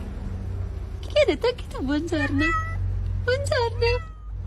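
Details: A domestic cat gives a series of short, wavering meows in two bursts, the first dipping and rising, the second steadier. A low steady hum runs underneath.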